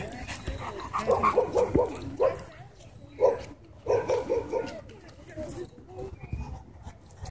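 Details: German Shepherd at a dog park putting a disrespectful dog in its place: bursts of short, harmonic, rough barks and yips near one and four seconds, trailing into quieter whines, with people's voices and park noise underneath.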